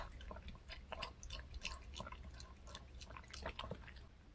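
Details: Indoors, the pet dog Reka works through a handmade bungeoppang dog treat shaped like a fish, with moist, squishy chewing and soft wet clicks and drips packed closely together, over a low room hum.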